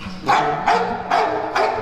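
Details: Dog; bark; agitation because females nearby are in heat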